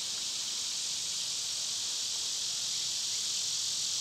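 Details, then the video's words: Summer cicada chorus: a dense, unbroken high-pitched buzz, loud and even from start to finish, with no other clear sounds. "Birds & Squirrels w/ Cicada sounds"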